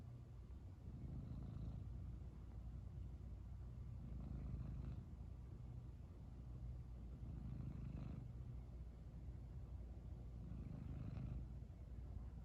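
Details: Domestic cat purring after being woken from sleep, having been snoring before; a low, steady rumbling purr that swells and fades in slow cycles about every three seconds, with no other clear sounds.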